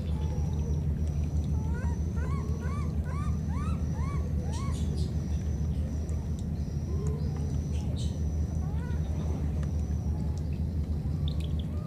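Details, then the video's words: Wild baby monkeys parted by a flood call to one another. A quick run of rising-falling squeals repeats between two and four seconds, then fainter single calls follow. A steady deep rumble and a high hiss run throughout. "Calling each other, these two baby monkeys were separated because of the flood"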